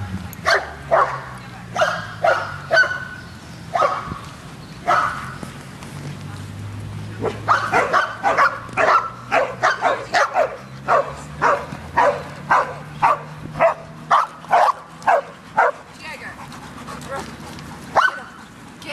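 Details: Dog at a dog park barking steadily: dozens of short, punchy barks in uneven bursts over nearly twenty seconds, with a low humming tone and faint voices behind.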